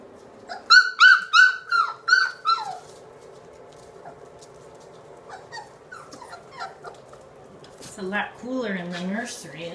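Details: British Labrador pups, three weeks old, in an indoor nursery, from a litter of four black females, two black males and one yellow female: a burst of bright, falling whines, then softer scattered squeaks and a lower, wavering moan near the end.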